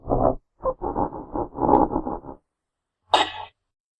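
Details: Genet in its natural habitat giving a run of rough, pulsing, growl-like bursts over about two seconds, then a short harsh hissing spit after a pause.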